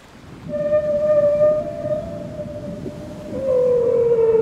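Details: Whale heard underwater: a long steady tonal moan with faint higher overtones that slides gently downward near the end, over a low rumbling wash.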